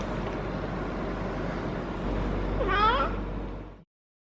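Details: Harley, a feral she-cat in heat for the first time, keeps caterwauling while petted. A single short wavering yowl rises and falls near the end against a steady low hum.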